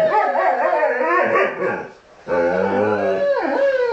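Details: Two huskies in conversation: dense overlapping warbling howls, a short dip in loudness, then a lower moaning phrase with a rising end.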